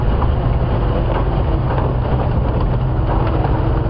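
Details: A steady low rumble of vehicle engine noise fills the recording, with no animal calls.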